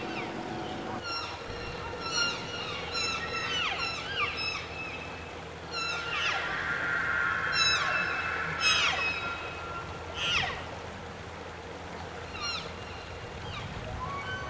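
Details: Wapiti bulls bugling in forest at the start of the fall rut in early September, calls serving as challenge and invitation; sustained high whistled tone with bright overtones, surrounded by many quick descending squeals and chirps.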